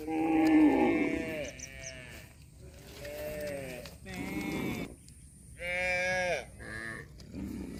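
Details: Cattle giving repeated moos: a loud opening call, then shorter, higher, bleat-like lows with brief pauses between them.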